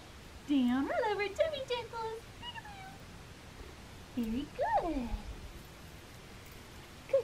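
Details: Blue merle female Australian Shepherd puppy from an Oklahoma breeder whines in a small room, squeaky calls that swoop up then fall, in two clusters a few seconds apart, ending with a short high yelp.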